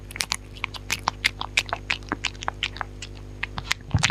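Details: Rhythmic dog chewing recorded close up with no talking, crisp crunches repeating about three times a second over a faint steady electrical hum. A low thud comes at the very end.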